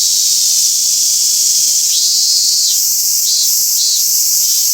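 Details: Singing robust cicada in Toyanogata Park: intense high whining buzz, breaking into rising, pulsing phrases in the second half.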